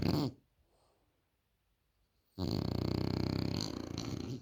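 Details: French Bulldog snoring indoors; after a brief snore and two seconds of near silence, a long, raspy, pulsing rumble fills the rest of the room sound.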